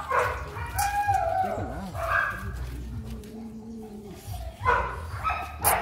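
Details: A dog seeing a female for the first time whines and yelps, with drawn-out wavering whimpers between short sharp cries, and a low background hum.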